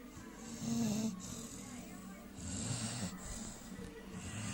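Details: Sleeping three-month-old AmStaff puppy Dager snores in a few slow, hissing breaths, each drawn-out rasp about two seconds apart, over a low background murmur.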